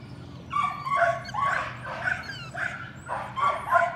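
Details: Young Patterdale Terriers, a litter worked on rats most days, yapping eagerly in a puppy pen: shrill, tonal yips in clusters roughly every half second, with thin high squeaks over them.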